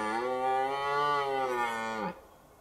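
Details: A red deer stag in a forest steps over a low stone wall and, just a few steps away, gives a single deep, drawn-out rutting bellow that drops away sharply at the end.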